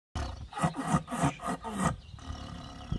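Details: Siberian tiger while eating, giving a quick run of about five harsh, rasping growls with low throaty pulses, each under half a second, then a short drawn-out snarl before quiet rustling.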